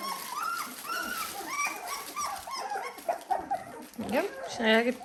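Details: Dalmatian puppies, 17 days old, squeaking and whining in a pen as their mother joins them: dense high, rising-then-falling squeals overlapping one another, with a woman talking over them.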